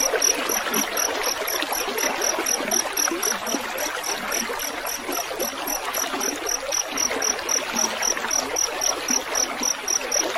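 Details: Continuous fast chirping of a field cricket (jangkrik sawah), high and metallic, about four pulses per second, layered over the constant rush of trickling water, intended as a mastering track for songbirds.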